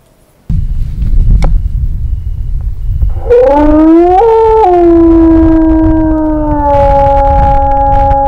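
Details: Gray wolf howl recorded during wolf howling, a survey technique that draws out answering howls to study wolf populations. After three seconds of loud rumbling noise, a smooth howl rises, steps up briefly, then settles into a long, steady, slightly falling tone.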